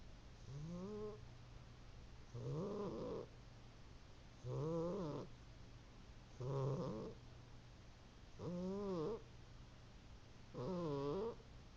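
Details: Domestic cat snoring while asleep indoors. Six soft, raspy snore breaths, each rising then wavering, about half a second to a second long, repeated steadily every two seconds. A quiet low hum lies underneath.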